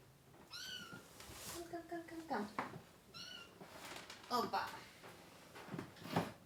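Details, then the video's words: Baby kittens crying while being dewormed along with their mother cat, three kittens in all, indoors: two high, bright, wavering mews about two and a half seconds apart, with a person talking quietly in between. "Too MANY Crying Baby Kittens!"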